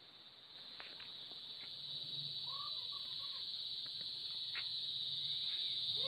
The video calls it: kuliglig/ cicada noise/ insects